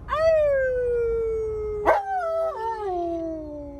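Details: Male Alaskan Malamute complaining as he refuses to sit down and wear his seatbelt. One long, drawn-out moaning howl slides slowly downward, breaks sharply near the middle, then resumes as a lower, wavering tone.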